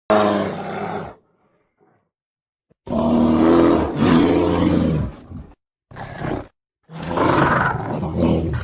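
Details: A black bear walking in its enclosure at Mysuru (Mysore) Zoo, India, gives loud, rough roaring growls in several bursts of one to two seconds, with short silent gaps between them.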